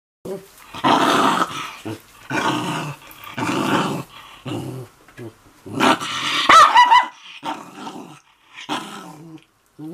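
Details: Mame Shiba Inu dog indoors, angry while a man wipes its feet, letting out rough, harmonic growling grumbles in repeated bursts of about a second, mixed with human voices talking.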